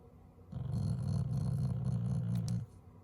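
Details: Growling but not angry, a Shiba Inu pet being squeezed and lifted voices a gruff, rumbling growl of about two seconds, steady and low with a faint rattle, against a still, quiet room.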